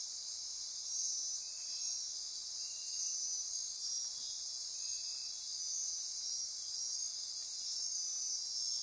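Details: Midnight rainforest insects on Costa Rica's Osa Peninsula near Corcovado National Park form a continuous high-pitched buzzing wall, with repeated short trilling bursts every second or so and brief lower ratcheting notes.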